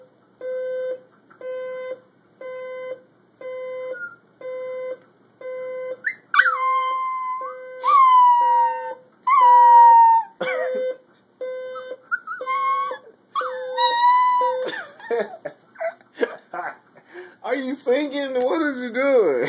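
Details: A Cocker Spaniel reacts to a ringing alarm clock it hates, howling and whining in long wavering tones over the steady, rapidly repeating electronic beep.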